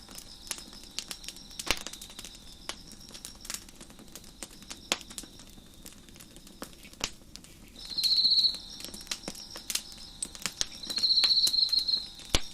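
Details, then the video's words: Crickets at night beside a crackling fire on a deck: a steady high chirping hum, swelling into louder pulsed trills near the end, with sharp pops and snaps of burning wood throughout. "Crackling Fire on the Deck with Crickets Chirping in the Background"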